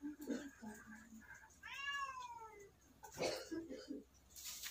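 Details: Kitten meowing: one clear drawn-out meow falling in pitch near the middle, surrounded by rustling, handling noise and brief speech.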